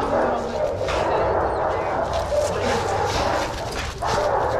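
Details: Shelter dogs at Pima Animal Care Center in Arizona playing together in a yard; a continuous wall of overlapping barks from many dogs, steady and loud throughout, with voices underneath.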